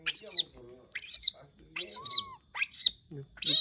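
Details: Pet monkey calling when it misses humans, in Indonesia: sharp, high-pitched shrieks and squeals in short bursts about once a second, some rising then falling, with a person talking softly in between.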